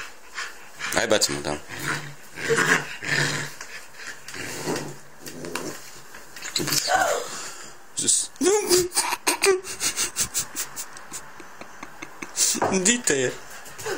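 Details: Three-month-old Bernese Mountain Dog puppy at play indoors in a small room, giving short harmonic whines and playful growling sounds in bursts, mostly in the second half, with people talking throughout much of the recording.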